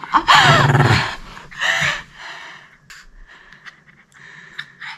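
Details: Excited pet dog panting: two loud, breathy rasping bursts in the first two seconds, then fainter, quicker puffs of breath trailing off toward the end.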